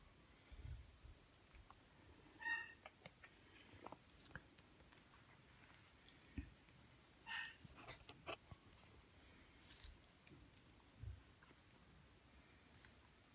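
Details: Japanese Spitz puppies 12 days old let out short, thin squeaks and whines, a couple rising and falling quickly, amid soft rustles, faint thumps and quiet indoor shuffling.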